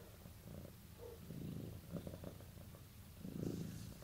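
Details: Domestic cat purring as a sign of bonding with its owner: a soft, low rumbling purr with fuller pulsing bursts near the middle and end, quiet throughout with no other clear sounds.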